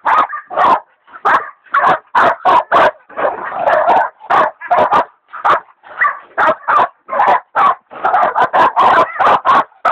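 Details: Two hog dogs, Dixie and Dollie, the latter a leopard dog still in training, baying a big sow hog: rapid, loud barks in quick bursts, some overlapping, with short pauses, continuing without letup.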